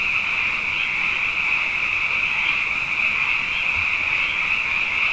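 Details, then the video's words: Night chorus of many frogs, plentiful after two consecutive wet years, forms a continuous wall of high-pitched overlapping croaks with slight pulsing swells. Nothing else intrudes. "Frog Songs: Na Mele o nā Paloka"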